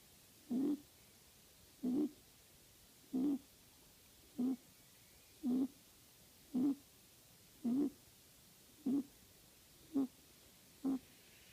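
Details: Pet rabbit snoring while asleep indoors: soft, throaty breathy snores repeated about every 1.1 seconds, ten regular puffs with quiet gaps between, nothing else audible.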